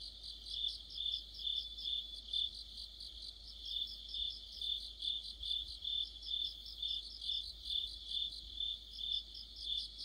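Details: Deepening autumn sounds from crickets and other insects: a sustained high chirping chorus, pulses beating steadily a little over twice per second, layered callers blending into one shimmering ring.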